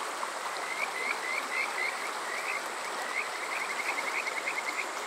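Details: Kajika frogs calling on a summer night at Water Park Shirayama, Yokoze, Chichibu District, Saitama, Japan, recorded with a TASCAM DR-05X: quick chains of short whistled notes, each sliding upward, rippling over a steady rush of stream water.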